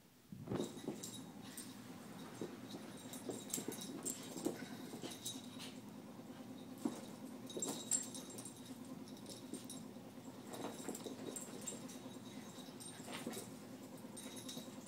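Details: Two pet dogs, Shiva a Shorkie and Dexter a Morkie, playing together at home; quiet, low sustained rumbling runs beneath scattered sharp taps, scuffles and brief louder bursts of rough play.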